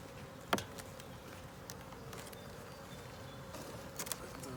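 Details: Honey bee colony in a 10-frame deep box topped with a honey super, heard during a hive inspection: a steady low buzzing hum, with a sharp click near the start and a couple of knocks toward the end from handling.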